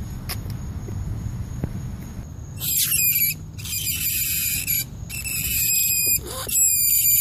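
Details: Rat squealing: after about two seconds of low rumbling background, a run of shrill, harmonic-rich squeaks begins, coming in bursts with brief gaps and growing louder and more continuous toward the end.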